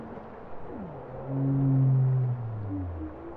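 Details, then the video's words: A bowhead whale's low, sweeping downward slide flows into a long, loud, deep moan with rich overtones, followed by fainter higher tonal notes against a constant low undersea hiss. "Bowhead whale songs"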